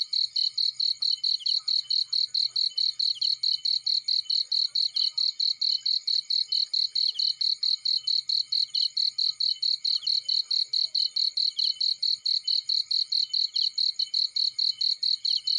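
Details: A cricket chirps in a field next to a burning fire, its high, regular pulses repeating rapidly and without a break, with faint low fire crackle underneath.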